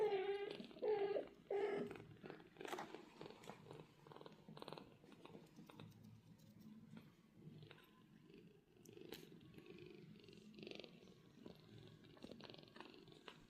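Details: British Shorthair mother cat and two golden kittens resting in a cattery: a few brief mewing squeaks open the clip, followed by a continuous low rhythmic purr with small rustling sounds.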